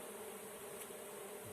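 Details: Honey bee swarm being caught, giving a steady low droning hum with a bright tone held evenly through the short stretch, plus faint hiss above.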